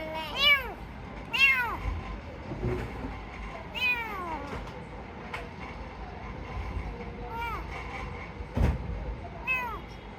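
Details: Rescued kitten, described as sick, meowing: six high, arching meows with falling tails, spaced one to three seconds apart, over a steady background hum with occasional soft human voices.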